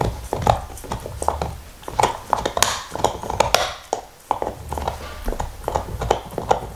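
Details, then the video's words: Nixon, a black Labrador Retriever, gnawing his favourite beef bone indoors in 2019: dense irregular crunches and wet mouth clicks, several each second, with soft low thumps underneath and no talking. "Dog Eating Bone ASMR"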